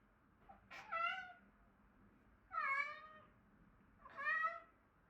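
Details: A male Siberian Forest cat gives three clear, drawn-out meows to call his twin brother over to play.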